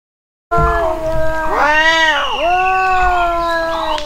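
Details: Cat in a cat fight: after a brief silence, one drawn-out, tense yowl of about three and a half seconds, wavering and rising, dipping sharply midway, then holding a strained, slightly falling tone.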